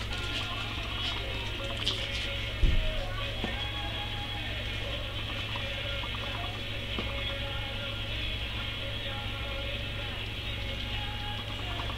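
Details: Steady music over a constant low droning hum, with one brief knock near the third second and no animal voices.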